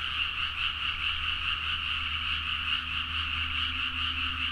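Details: Many frogs calling vigorously at midnight from rice fields in Nagaoka, Niigata, Japan, captured on a Zoom H4n; an unbroken wall of croaks forms a steady high drone, over a low steady hum.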